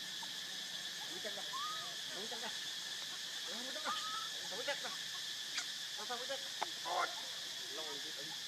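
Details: Baby monkey Leo cries to beg his mother for milk, very hungry. Short arched wavering cries rise and fall in quick bursts, some brief and sharp, scattered through the stretch over a steady hiss and hum.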